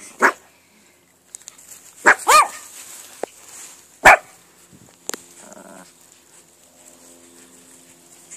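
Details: Chihuahua-poodle cross family, a white-and-black mother, a black Chihuahua father and two puppies, giving a few sharp, separate barks and yips spaced irregularly a second or more apart, with a steady high electrical whine behind.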